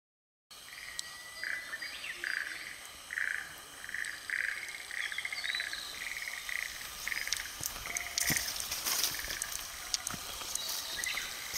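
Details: Frogs calling at Nitanuma pond, Japan: a steady series of short, even pulsed notes repeated roughly twice per second over a hissing natural background with faint clicks.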